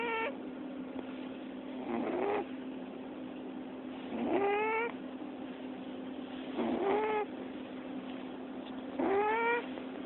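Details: A cat gives short, squeaky rising snores, one every two to three seconds, over a steady low hum, before purring when petted.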